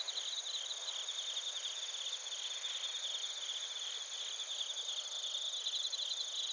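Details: Chorus of bell crickets and other crickets from Narita in Japan's Chiba Prefecture, recorded with a TASCAM Portacapture X8. Unbroken, high, bell-like ringing with quick pulsing trills weaving through a steady insect hum.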